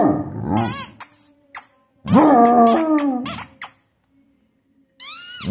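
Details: Clifford, a Basset Hound, gives a long, mournful howl lasting over a second that starts high and settles lower, after a shorter wavering cry, with high-pitched squeaks heard around it.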